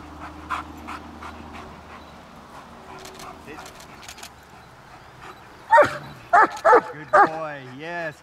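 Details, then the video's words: German Shepherd in obedience training: faint speech and soft sounds at first, then four loud barks near the end, followed by a rising whine with stacked harmonics. "German Shepherds - On and Off on command!"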